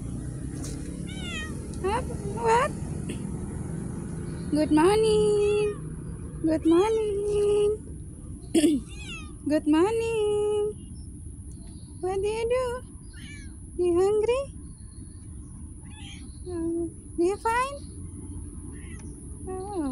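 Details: Street cats meowing outdoors: repeated short, rising mews, some ending in a bent upward squeak, spaced a second or two apart. A steady high-pitched tone runs throughout over low background rumble and some voices.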